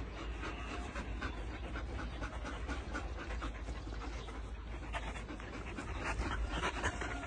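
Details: Belgian Malinois family panting hard: rapid rhythmic in-and-out breaths, rough and airy, running continuously at several pants per second above a constant deep background hum.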